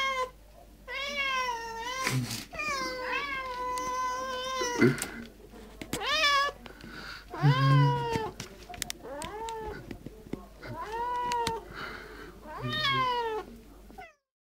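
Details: Pet cats meowing insistently for food indoors: about a dozen long, bending meows in uneven bursts, several sliding up then down, one cat overlapping another, ending in sudden silence.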